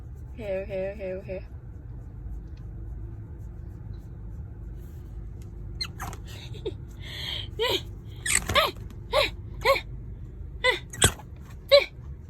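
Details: Pet prairie dog Angpao, angry and grumbling at its owner for wiping her hands after it grabbed durian: a brief whining tone, then a run of sharp, short chirps and squeaks repeating irregularly about every half second, with a woman's voice nearby.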